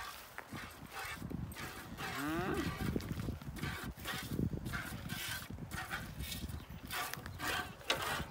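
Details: Cow on a Romanian farm with a sheepfold where cheese is made, giving one short moo that bends upward, with layered tones, set among steady rustling, knocking and clattering farmyard noise.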